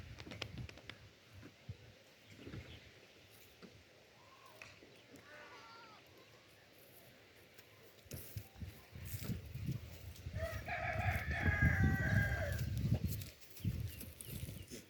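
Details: Goat bleating in a wavering, harmonic cry lasting about three seconds midway through, preceded by a fainter short bleat, over low rumbling handling and footstep noise outdoors.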